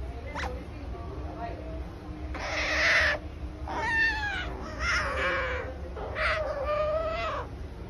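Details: A captive otter from a permitted, expert-guided family of otters gives a short chirp, then four squeaky, harmonic squeals of half a second to a second each, over a low indoor hum. Otter.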